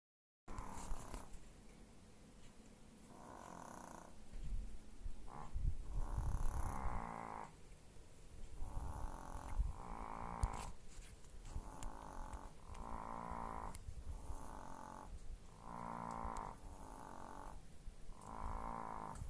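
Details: Sleeping chihuahuas snoring indoors: breathy, raspy snores in a loose rhythm, each lasting about a second with short gaps, some louder rattling breaths, a few faint clicks and rustles in the background.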